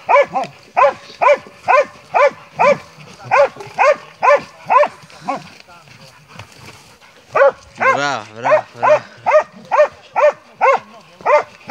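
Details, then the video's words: Montenegrin Mountain Hounds of kennel 'Sutorman' on a hunt, a boar nearby, deliver rapid rhythmic baying barks, briefly broken by a pause and a burst of overlapping voices before the regular barking resumes. "Hunting with Montenegrin Mountain Hounds from kennel 'Sutorman'"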